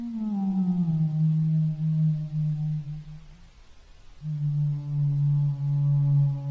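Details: Humpback whale singing two sustained low moans, the first dropping slightly from a higher start, separated by a quiet gap, each tone steady and resonant with layered overtones.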